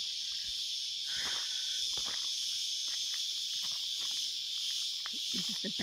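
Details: A dense chorus of cicadas in the Australian bush on a 35° summer day makes a continuous, high, shimmering, hissing drone with no breaks; faint clicks and soft thuds, perhaps footsteps or a voice, sit low beneath it.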